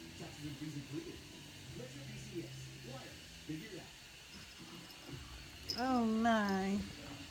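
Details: A sleepy male tabby kitten, Logan, being woken up indoors lets out one wavering, slightly trilled meow near the end, after quiet murmured human speech.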